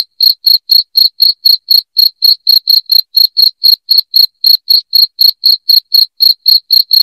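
A cricket gives loud, clean, high chirps, about four each second in a steady run.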